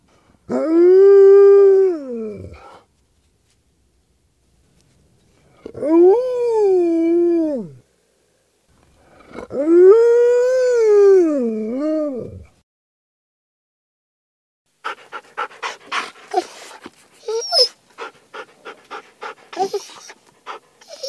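A Siberian Husky gives three long, wavering, mournful howls, then a burst of choppy yips and grumbles.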